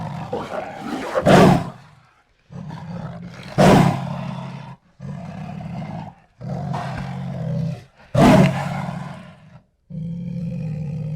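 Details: Jaguar esturro roar: repeated low, hoarse grunting strokes about a second long, alternating with a few explosive coughing bursts, with brief gaps between phrases.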